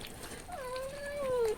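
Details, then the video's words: Hungry house cat screaming to demand food, fed milk to quiet it: one drawn-out meow lasting about a second, starting slightly higher, sagging, then falling at the end, with rich overtones over a quiet room. "Cat Screams for Food"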